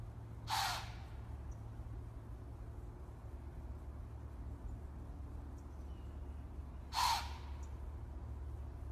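A deer gives two harsh, breathy blasts several seconds apart over a steady low rumble.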